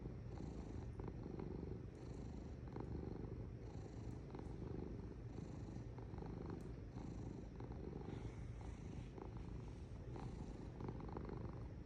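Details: Low vibrating purr from a cat, steady and unbroken throughout, gently waxing and waning with its breathing cycle.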